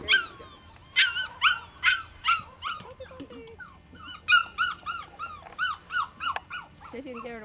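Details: Seven-week-old female Australian Shepherd puppies in a litter give a rapid series of high, arched yips and whines, about one a second, with a lower whimper near the end and faint human voices.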